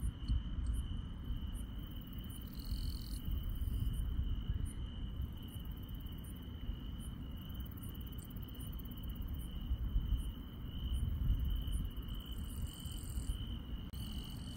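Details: Insects at night in the countryside: an unbroken, steady high trill runs throughout, with short sharper high chirps pulsing roughly every 0.7 seconds and a few brief buzzy bursts, over a constant low rumble of background noise.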